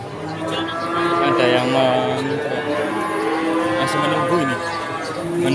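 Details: Cattle at the Pon Ambarawa market in Ramadan 2024 moo almost continuously: overlapping, sustained, droning lows of varied pitch, with a noisy crowd and speech underneath.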